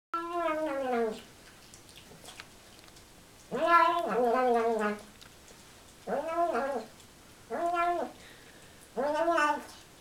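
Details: A male Siamese cat gives a run of loud, drawn-out, wavering meows with short pauses while eating, talking with his mouth full.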